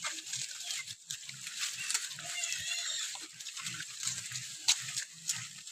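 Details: Wild boar moving about in the morning, giving a steady series of low, rapid grunts in short clusters, with a continuous shrill insect buzz and light rustling behind.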